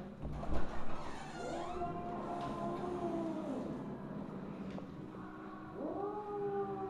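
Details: Misu, a mother Siamese cat, recorded at 8:18 PM on 2/1/2015: drawn harmonic meows rise and level off in the middle and again near the end, partly masked by a heavy low rumble and brief knocks at the start.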